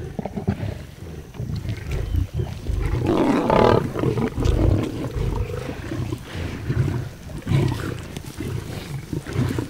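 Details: Pride lions fighting fiercely over a zebra carcass after a group hunt, each feeding for itself: deep rumbling growls and snarls swelling and overlapping throughout, in a continuous low chorus with grunting bursts.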